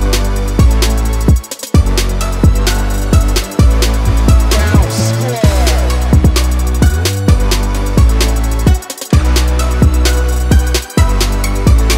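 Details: Loud hip hop style music with heavy bass drum hits and a steady beat fills the recording, with no animal sound audible.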